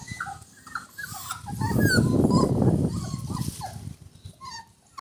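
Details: Rajapalayam puppies, 24 days old, learning to walk on solid floor in Thoothukudi; short high whines and squeals over a loud low rumbling scuffle in the middle, cries continuing as the noise fades.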